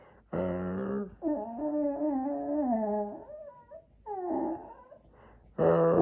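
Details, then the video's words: Jack Russell Terrier 'talking' to its owners indoors: a long, wavering whine-howl that rises and falls over two seconds, then shorter groaning yowls and a loud final moan. "Jack Russell qui dialogue"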